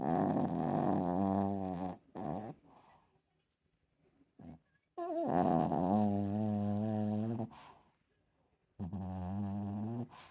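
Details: Sleeping Chihuahua snoring: long, droning, harmonic-rich breaths lasting about two seconds each, with short gaps of near silence between them, recorded close up indoors.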